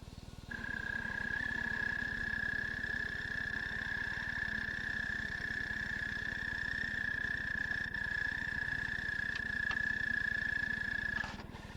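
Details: An American toad's call, played as a reference in an Ohio frog and toad survey guide: a long, steady, musical trill that holds one high pitch without a break.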